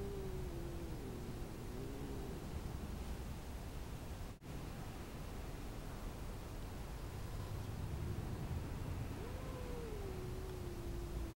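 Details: Domestic cats squabbling over a tattered pot of cat grass; drawn-out, wavering meows around the low-mid range at the start and again near the end, against a steady background hiss.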